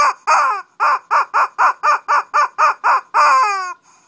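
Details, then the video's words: Small mock fight by a Shih Tzu in Kochi, Japan: eleven shrill, evenly spaced yaps about four a second, then a long squealing yelp that slides downward and trails off. "Shih Tzu kochi japan new [mini] fight !"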